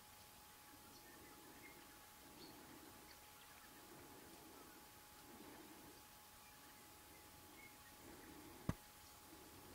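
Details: Fallow deer buck during the 2014 rut, giving low, rough groans repeated about once a second throughout. The groans are faint under a steady hum and light background noise, with a sharp click near the end.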